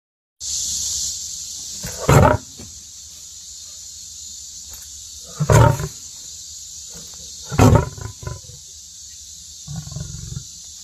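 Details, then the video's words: Lion giving several short, deep, grunting roars spaced a few seconds apart, each a brief low burst, over a steady high hiss. "Lion Voice"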